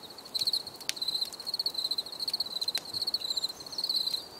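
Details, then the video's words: High cricket chirps, quick trilled pulses in short clusters repeated several times a second, broken by two sharp clicks, against a quiet natural background. "Bruit de Grillons"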